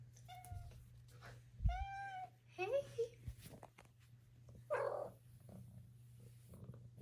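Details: Female Maine Coon kitten aged four months chirping and trilling indoors: a short chirp, a rolled trill, then rising and falling chirps, with a soft breathy sound near the end and steady low hum in the room.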